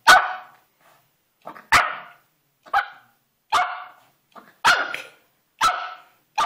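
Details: Melo, a five-month-old Pomeranian, going crazy and attacking a carpet indoors: sharp, high yappy barks repeated roughly once a second, each short and bright, with quiet gaps between them.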